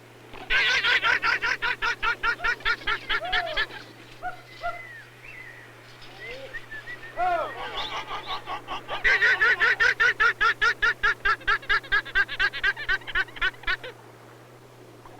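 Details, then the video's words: Wild guanaco family group on Tierra del Fuego, Patagonia, with ranchers herding livestock nearby as possible threat, gives an alarm call: rapid, harsh, stuttering bleats in long bursts, possibly warning group members or the threat. "When danger appears, the guanacos give an alarm call."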